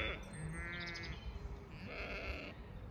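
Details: A flock of Zwartbles sheep spread across a field on a regenerative farm in County Kilkenny, Ireland, during lambing season on a sunny day, calling toward the farmer in hope of extra food; two wavering, quavering bleats overlapping with background wind.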